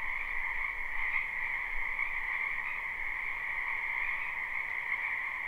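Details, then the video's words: Live spring recording from a wetland full of frogs: a steady, buzzing chorus of overlapping trills at two pitches, the higher one dominant, pulsing softly, with a slight low rumble early on. "Ambient Noise for Sleep Frogs"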